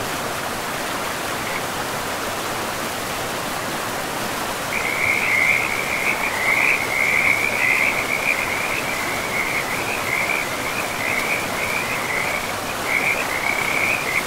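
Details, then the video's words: Frogs by a river deep in a pristine forest: after a few seconds of only rushing water, a loud continuous trilling chorus starts at one high pitch and runs on steadily over the river's hiss. "River and Frogs sleep sounds"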